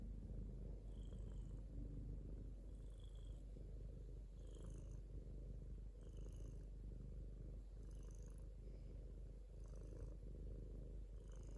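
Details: Domestic cat purring, a continuous deep rumbling purr with soft rhythmic pulses of breathing and faint light ticking sounds above it.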